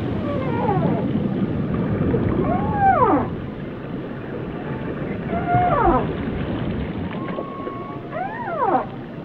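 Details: Whale song: long, sliding tonal moans that sweep downward, with overlapping harmonic cries arriving in clusters roughly every three seconds over a steady low underwater rumble.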